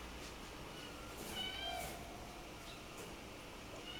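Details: Male black-coated Munchkin kitten, born October 2, gives a single faint, thin meow that wavers briefly, then trails off against a steady low indoor hum.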